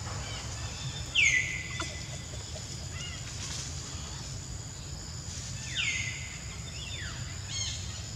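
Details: Jazzy, a monkey hurt by ant bites all over her body, cries with two drawn-out tonal wails that slide downward from high to lower pitch, spaced about five seconds apart over steady low background hum.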